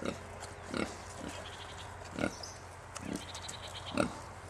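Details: Kunekune piglets, newborn babies on a farm estate in France, giving short low grunts about once a second, with a steady low hum behind them.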